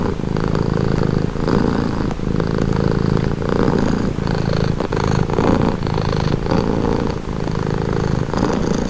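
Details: Low, even rumble of a purring cat heard up close, the throaty vibration rising and falling in regular breathing cycles about once a second, uninterrupted.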